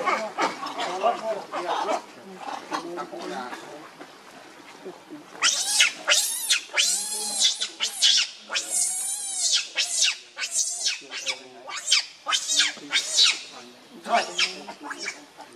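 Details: A hungry baby monkey cries to beg its mother for milk, giving loud high wavering screams and squeals in rapid bursts, roughly one or two each second, rising and falling in pitch.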